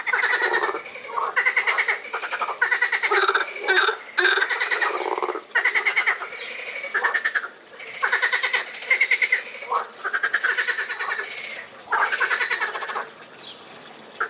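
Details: Chorus of frogs at Lausanne's Botanical Garden, recorded 20 April 2018. Pulsed, rasping croaks run almost without pause, overlapping bursts of rapid clicks rising and falling in loudness for the whole stretch.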